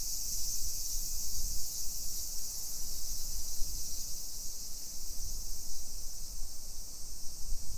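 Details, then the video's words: Summer cicada chorus heard while walking a Nisshin hillside neighborhood near Nagoya, Japan, 1 PM, 28 July 2021: a loud, constant high buzz with slight swells, over heavier low rumble of footsteps and passing vehicles. "Summer Cicadas Sounds"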